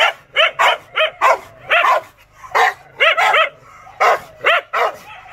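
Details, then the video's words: An angry Rottweiler gives heavy, throaty barks in clusters of two or three, separated by brief silences, over about five seconds. "The peak of anger rottweiler"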